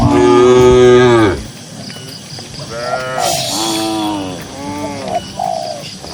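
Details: Dozens of cows on a grassy pasture: one loud, long moo opens, then several quieter, wavering moos follow at intervals of about a second, over a low background hum.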